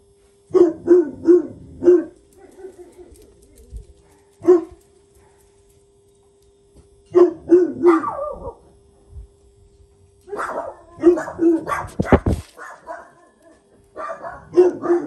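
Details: Jack Russell Terrier named Paris barking while disciplining her son Oscar. Sharp, clipped barks come in rapid clusters of three or four, separated by pauses, over a steady low background hum.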